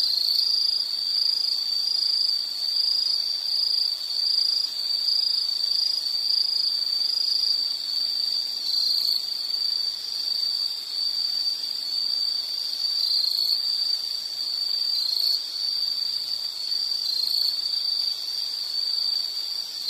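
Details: Insects keep up a steady, high, shrill trill that runs without a break, with fainter higher buzzing layered above and no other clear sounds.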